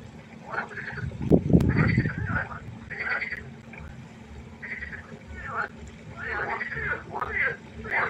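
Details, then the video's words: Frogs croaking at night by a pond: overlapping raspy, pulsed croaks in short bursts, with a brief low rumbling thump near the start and a steady faint hum underneath. "1 Stunde Froschkonzert. Frosch Geräusche quaken."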